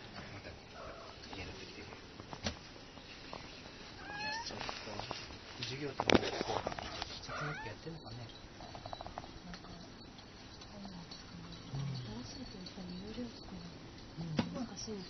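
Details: Kitten that cannot climb down calls out for its mother cat, which then arrives; short rising mews scattered through the clip over background noise and human voices.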